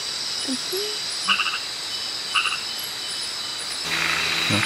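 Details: Frog calling at night in Kubah National Park: two short, rattling pulsed bursts about a second apart stand out over a steady, high, shrill insect chorus, with low murmuring voices and a rustling burst at the end.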